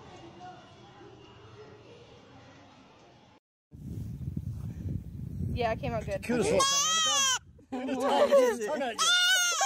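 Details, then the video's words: Goat bleating: after a few seconds of quiet, low voice-like murmur and a short gap, loud wavering, quavering bleats come in two bursts near the end, with background noise beneath. "Talking animals. Crazy Goats! Funny goats!"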